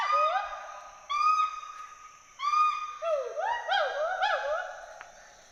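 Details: Two endangered Western hoolock gibbons climbing and swinging in trees at Hollongapar Gibbon Sanctuary, Assam. Three drawn-out level hoots lead into a quick string of bouncing rising-and-falling whoops, with the calls then fading away.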